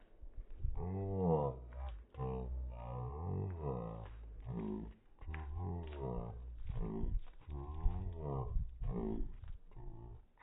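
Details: A Cane Corso searching for the cat gives a run of deep, wavering grumbles and moans, broken by short pauses.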